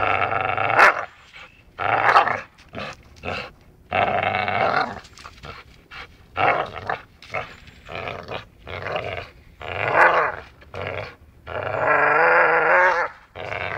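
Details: Dachshund at play, biting while it growls: repeated rough, throaty growls in quick bursts over fourteen seconds, ending in a longer sustained snarl.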